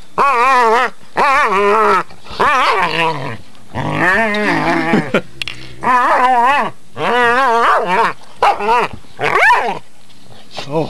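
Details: Two female pit bulls playing together under a bed: loud, wavering growl-grumbles and yodeling moans in bursts of about one second, nearly continuous, with a brief pause between each burst.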